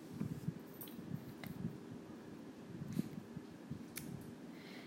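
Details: Quiet room with soft low rumble, faint clicks and rustling handling noises, no animal voice.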